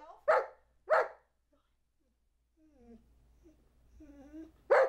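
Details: Charlie B., a two-year-old Old English Sheepdog trained to count to 12 on command, gives two sharp barks, a pause with a person's quiet voice, then a third bark indoors.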